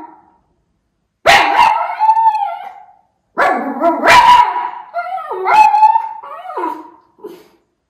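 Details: Miniature Schnauzer puppy watching for crows in Aroostook County, Maine, August 2021; two long bouts of loud, wavering howl-barks, each starting with a sharp bark then sliding into whining, yodel-like cries.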